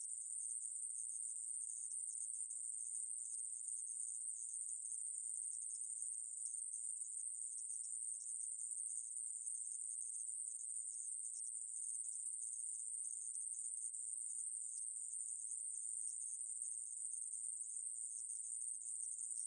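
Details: Unceasing thin, high-pitched buzz of a conehead katydid (애매부리) captured in 2020 by the National Institute of Biological Resources, steady in loudness with tiny flutters throughout, no other sounds.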